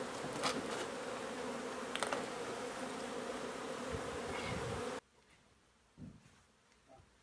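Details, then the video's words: Dense buzzing of a honey bee hive being relocated from an old home in Donna, Texas. A loud, steady swarm drone fills the first five seconds, then stops abruptly, leaving quiet room noise and a soft thump. "Honey Bee hive removal"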